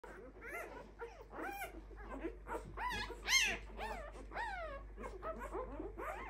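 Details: A litter of five-day-old Clumber Spaniel puppies, several voices overlapping in thin, high whines and squeaks that arch up then fall, coming about twice a second in an irregular chorus, with a faint low hum underneath.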